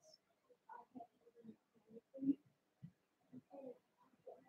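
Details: Cavalier King Charles Spaniel puppies Cooper, Conner and Jenny, Ruby and Blenheim coats, born 06/09/2022, indoors overnight on a puppy cam; soft scattered grunts and short low whimpers, quiet and irregular, with brief pauses between.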